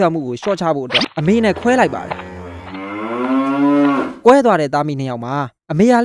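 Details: Farmed cattle, with a mother calling out for her calf after they were separated within a day of birth: one long, drawn-out, wavering moo of about two seconds sits between stretches of Burmese narration.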